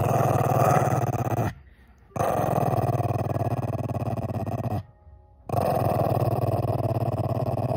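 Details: Shih Tzu puppy growling in protest at being kissed, indoors in a small room: long, steady low rumbling growls broken by two short silences, each stretch lasting one to three seconds.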